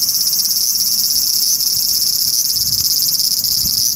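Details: Song of a large brown cicada on a park cherry tree: steady, intense, sizzling high buzz without breaks, faintly pulsating, over quiet low background noise with a few soft thumps.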